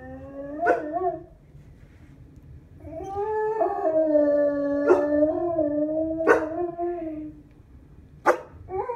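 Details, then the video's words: Pet dogs howling in short bouts: a quick howl, a pause, then a longer sustained wail broken by sharp clicking knocks repeated every second or so. "my dogs howling"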